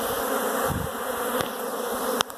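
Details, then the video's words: Continuous dense humming of many honey bees swarming inside a house, with a few faint clicks. "honey bees in my house!"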